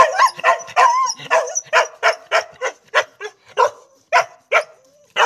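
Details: Dog barking: about a dozen short, bright barks in an uneven series roughly every half second, some with a brief whiny rise, close and loud with little else heard.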